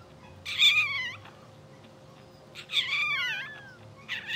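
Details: Sleeping, dreaming English Bulldog puppies only two hours old, from a blue sable litter. Two drawn-out, wobbling cries, the second sliding downward at its end, separated by a quiet gap over a faint steady hum.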